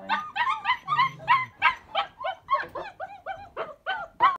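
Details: Three puppies protesting at being confined, not hungry, cold or lonely; loud rapid yips and whines about three per second, some rising then falling, with a brief low sound early on.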